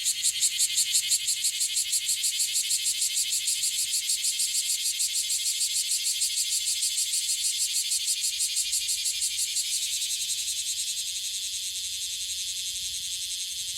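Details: Bear cicada (Cryptotympana facialis) in Okinawa, an often-calling individual; rapid rhythmic pulsed buzzing around three beats per second, gradually fading after ten seconds into a smoother continuous high drone.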